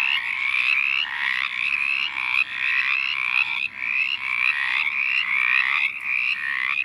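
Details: Mountain chorus frogs in Virginia forest habitat near standing water by a logging road; loud overlapping raspy rising trills, several callers repeating quickly in a dense chorus, each trill brief and upward-sweeping.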